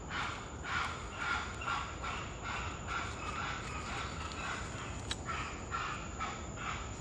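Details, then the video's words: Spider monkeys in Corcovado National Park, Costa Rica, give harsh, barking alarm calls in quick series at a puma, over a steady buzz of insects. "Spider Monkey Puma Alarm (Audio)"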